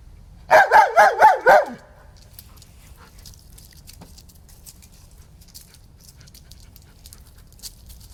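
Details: German Shepherd dog named Bear barking at a toy snake: a quick burst of five loud, harmonic barks in under two seconds, then near silence with only faint scattered clicks and rustles.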